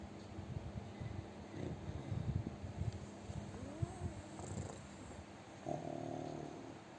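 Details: A plump pet pug asleep and snoring loudly, giving rough low rasping bursts that come in uneven waves, with a few brief squeaky nasal whistles mixed in. The room is otherwise quiet.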